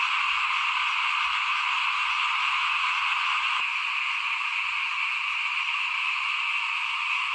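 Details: Frogs chorusing by a house while rice is sown in 2021. Fast overlapping calls merge into a dense, continuous buzzing hum, broken only by a single sharp click midway.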